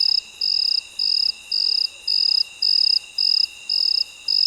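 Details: Midnight cricket call, a bright high-pitched chirp in evenly spaced bursts roughly twice per second, continuing without a break throughout, with a constant soft background drone of other night insects.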